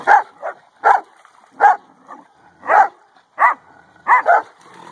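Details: Central Asian Shepherd (alabai) dog barking while playing: short, loud, harsh barks, some doubled, about eight in five seconds at uneven intervals, with quiet gaps between.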